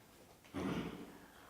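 A green frog gives a single low, twanging gulp like a plucked loose banjo string.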